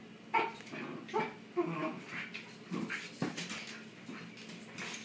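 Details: Pet Shiba Inu dogs playing tug of war together. Short, tonal whimpers and yips come in the first two seconds. Rougher, noisy bursts of growling and scuffling follow, repeating irregularly through the rest of the play.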